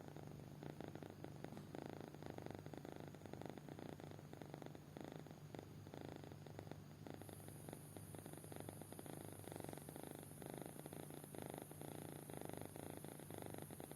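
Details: Kitten fast asleep and snoring: soft, rasping low pulses in steady breathing cycles of about a second, over a constant low electrical hum, with a thin high whine entering halfway through.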